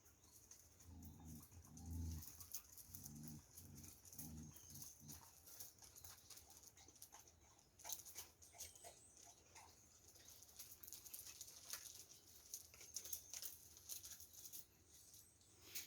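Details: Jindo dogs in Yeongwol: with the yellow female Yeongwol in heat, the four-eyed male Taebaek growls at the black-and-tan male Beomdol. Low, rumbling pulses repeat over the first five seconds, then give way to rustling and clicking noises.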